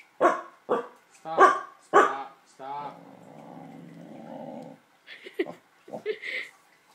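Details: Corgi growling at luggage he dislikes: four quick barks open, then a steady low growl of about two seconds, followed by short yelps and a person speaking.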